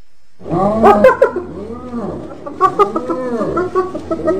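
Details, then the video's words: Several overlapping hyena voices with rising and falling whooping, moaning tones blending into a continuous chorus. "Ternyata Seperti ini Suara HYENA"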